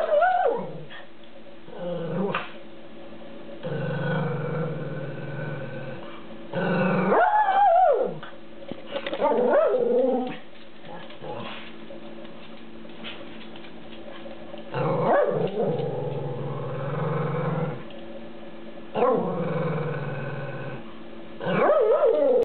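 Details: Miniature poodle Trixie, indoors, waiting for a dog treat and being vocal about it: repeated whining, growly vocalising and short yips in bursts separated by quieter pauses over about twenty seconds.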